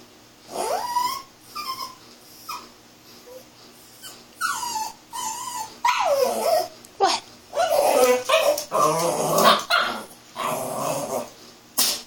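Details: Puppy playing with its ball, making silly noises: high squeaky whines and yips that bend up and down, mixed with rough grumbling growls in bursts, growing busier and louder midway.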